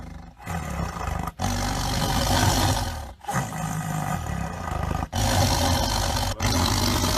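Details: Deep, throaty tiger roaring in long harsh bursts, low pulsing rumble with a raspy edge, cut by several sudden brief pauses between the roars.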